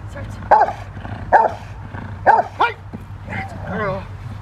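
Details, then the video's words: Rottweiler Freya vh Odom barking during protection training: three strong evenly spaced barks, then a shorter bark and a whining tail, over a low hum and faint voices. "Rottweiler protection training"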